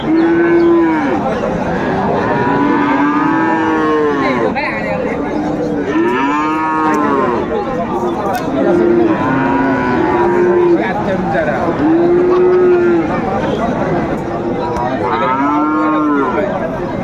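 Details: Many cattle at Raniganj market, Dinajpur, Bangladesh, selling Friesian and crossbred bull calves on Thursday 2 May 2024; a long run of moos, short and long, overlapping from several animals every second or two, over constant market hubbub.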